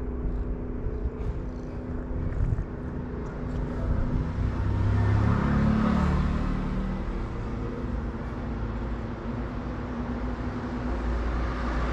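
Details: Steady road traffic on a Moroccan street, with cars passing and an engine swelling louder around the middle, then easing off; no animal voice stands out.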